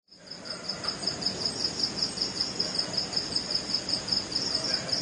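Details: Crickets (family Gryllidae) at night in West Bengal, India, give a steady, high-pitched pulsing chirp, repeated rapidly as a mating call.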